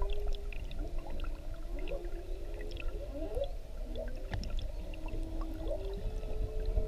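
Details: Whale heard underwater off Maui on a GoPro: soft, sustained moans mixed with quick rising and falling sweeps and chirps, fairly quiet beneath a low gurgling rumble of water.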